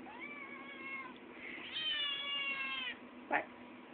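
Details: An 8-week-old male Maine Coon kitten "talks" while asking to be fed: two sustained, high-pitched meows, the second louder and held steady before fading, then a brief clipped sound.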